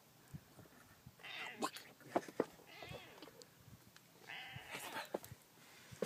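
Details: F1 Savannah cat named Sophie on an evening walk in the desert, giving several drawn-out nasal calls, some bleating and chirp-like, spaced over a few seconds, with footsteps and rustling around them.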